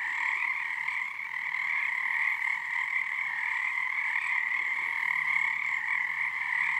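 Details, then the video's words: Many frogs calling together at Frog Korner, Harstine Island, Washington, on a February 2021 full-moon night, their voices syncing in resonance: a steady, buzzing wall of croaks in two stacked tones, loud and unbroken throughout. "Frog chorus at Frog Korner."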